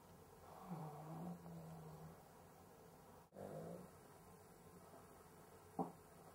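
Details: Sleeping Cavalier King Charles Spaniel struggling to breathe, possibly sleep apnea: a low, drawn-out snoring breath, a brief silence, then another rasping snore and a short sharp snort near the end, over a steady low hum.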